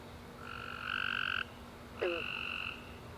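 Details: Night chorus of tree frogs following a warm, rainy summer day, with a long steady trill lasting about a second, then a short lower chirp and a second trill, over a faint constant hum.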